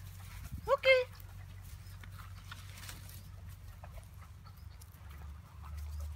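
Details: Giant Schnauzer puppy aged ten weeks, out on an excursion, lets out one brief squealing yelp early on, then a low rumble and faint voices continue.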